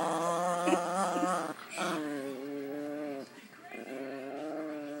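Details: Pet dog Sophie growling during pretend fighting, her favorite game; sustained tonal, wavering growl-whine broken into three long stretches, with some human voice in the background.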